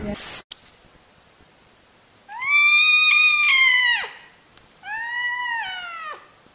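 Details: Cute domestic cat meowing, from a compilation: a brief click, then two clear, loud, drawn-out meows, the first long and wavering before dropping sharply at its end, the second shorter with a similar falling finish.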